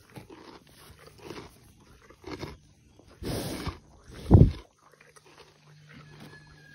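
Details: Donkey (Equus asinus) eating grass, with soft crunching and tearing bursts of chewing over a faint low hum.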